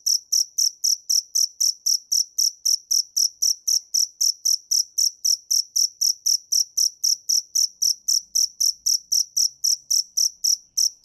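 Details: Steady, piercing chirps from a cricket, spaced about a quarter second apart and even in loudness over eleven seconds, against silence.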